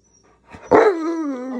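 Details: Tonka, an Alaskan Malamute, throws an impatient tantrum in the kitchen while breakfast of waffles and eggs is being cooked. A loud, drawn-out harmonic whine starts high, then slides steadily down and fades into a lower, wavering moan.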